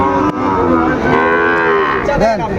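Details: Sahiwal bull calf at a cattle market, bought by a farmer from Chattogram on 17 March 2025: a loud, sustained, rich moo with a short falling moan at the end, amid crowd noise and bargaining voices.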